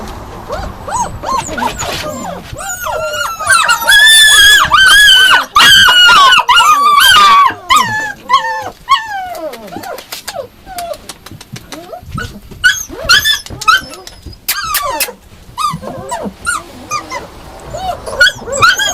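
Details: Yakutian Laika barking excitedly, a loud cluster of yelping howl-like calls early on, then scattered sharp barks and whines with quieter gaps.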